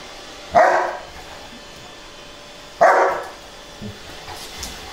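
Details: Two dogs, Milo and his sister Eve, a Saint Weiler and a Great Pyrenees, play fighting on a couch indoors; two short, loud barks about two seconds apart, followed by faint scuffling sounds.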